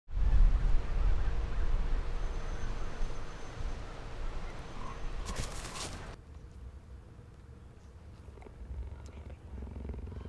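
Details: Captive cheetah at San Diego Zoo Safari Park purring: a continuous low, rough rumble of rapid pulses, loudest in the first second and then steady but softer, with a brief sharp clatter near the middle.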